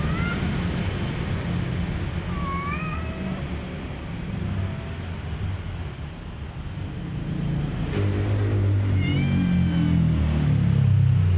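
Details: Mother cat with her kittens: short rising-then-falling meows, a pair early on and another burst near the end, half buried under a steady, loud, low-pitched rumble.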